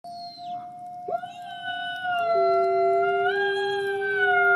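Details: Wolf howling in the snow, described as a white wolf: long, steady tonal howls with rich overtones, several overlapping voices holding flat pitches, one rising sharply near the middle, with a faint low rumble beneath.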